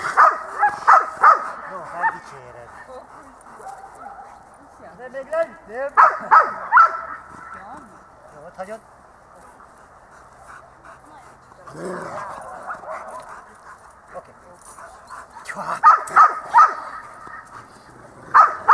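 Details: Itus, a dog at dog school on 8 December 2013, barks in short sharp bursts grouped into three clusters, with quieter stretches of a trainer speaking between them.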